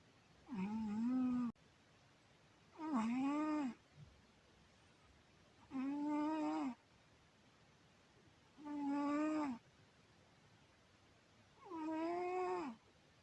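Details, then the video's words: Domestic cat snoring while sleeping sweetly indoors, five tonal, droning snores about a second long, each slightly rising then falling, repeating roughly every three seconds with quiet breathing pauses between. "Cat Syoma sleeps sweetly and snores"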